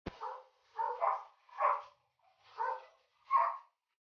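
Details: Golden Retriever during a stud session, pairing Dugal with Lyla, a dam from Quebec; five short, mid-pitched barks or yelps spaced roughly every second, indoors, no other sounds.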